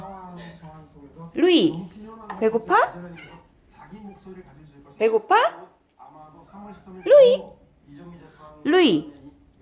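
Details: Sphynx cat, a big eater, at mealtime indoors: about five loud, drawn-out meows, each arching up then falling, spaced a second or two apart, with quieter murmuring and a person speaking Korean between them.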